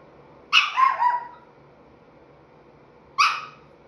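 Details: Chihuahua pup at five and three-quarter months, talking: a yodelling bark broken into three quick rising-falling pulses, then a shorter single yip about two and a half seconds later.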